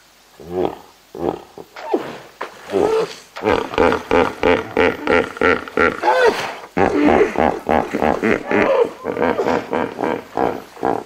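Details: Hippopotamus group of about twenty splashing in water, recorded close up: a rapid series of deep, pulsing grunting bellows, roughly one per second, rising and falling in loudness, with snorting bursts between.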